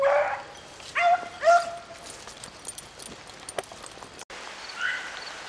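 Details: Beagles baying while rabbit hunting in the rain: a few short howled notes in the first two seconds, then mostly rain hiss with faint distant voices near the end.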